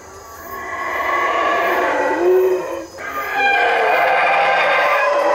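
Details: Howler monkeys calling loudly from treetops in Belize; a roaring chorus fades in and holds, with a low moaning tone sliding upward midway and a brief lull before the roar resumes.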